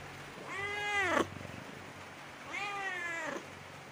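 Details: Kittens meowing: two clear, quiet meows, each rising then falling and lasting under a second, about two seconds apart, against faint low background noise.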